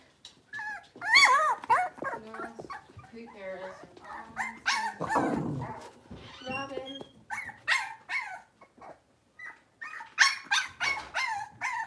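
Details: Blenheim Cavalier King Charles Spaniel puppies from a litter of five, born at New Year, moving into a bigger pen: a busy tumble of high squeaky whines, yelps and yips overlapping in rapid irregular bursts.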